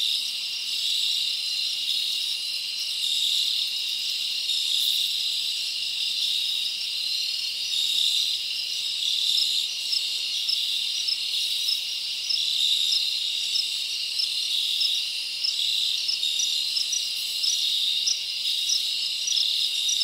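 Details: Nighttime cricket chorus in a forest in summer. A shrill, unbroken wall of trilling with many overlapping callers and faint rhythmic pulsing throughout, and nothing else audible.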